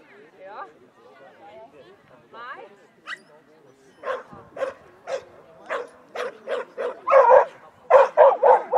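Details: Schapendoes dog during a clean agility run at Nes, August 7, 2016; a person talks at first, then sharp barks repeat about four times per second, growing louder toward the end.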